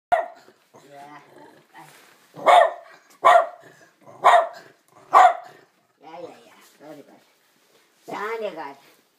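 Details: Two dogs playing together indoors; four sharp, loud barks come about a second apart mid-way, with a person's voice talking before and after them.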